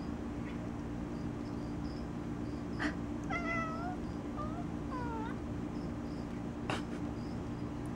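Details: Domestic cat sitting in a box, vocalizing, talking to its owner: a run of three or four short, chirpy meows that bend up then down, clustered mid-recording, over a steady low indoor hum with a few clicks.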